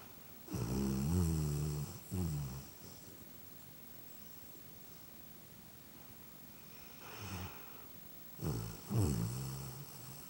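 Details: Momo, a pet dog, snoring at home on a lazy Sunday: low rumbling snores in bursts, a long pair near the start and another group near the end, with quiet breathing gaps between them in a small room.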